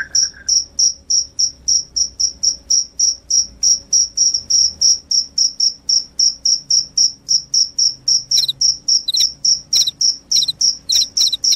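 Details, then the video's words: Cricket said to keep rats away and make you sleepy, chirping loudly and steadily, roughly three to four high clean pulses each second. Faint lower chirps of a second caller appear near the end. "SUARA JANGKRIK PENGUSIR TIKUS, JANGKRIK JANGKRIK SUARA NYARING BIKIN NGANTUK"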